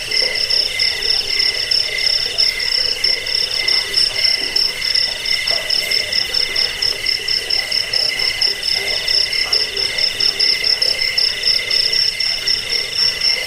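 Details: Crickets chirping, offered as a rat repellent, sleep aid and tutor sound for songbirds; a dense, unbroken chorus of fast, high pulsed trills with a lower pulsing tone beneath, continuous throughout.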